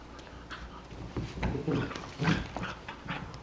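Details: Ripley and Vasquez, three-month-old Cocker Spaniel–Basset Hound mix sisters of just over 12 pounds, play-fighting indoors; rough snarling growls and short yelping bursts build from a low background, loudest around the middle.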